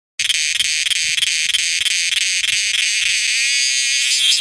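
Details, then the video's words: Cicadas calling, heard night and day: a loud, shrill, continuous high buzz with a fast throbbing pulse of several beats per second. The tone steadies slightly toward the end, and no other sounds cut through. "ve kêu cả đêm lẫn ngày ( cicada )"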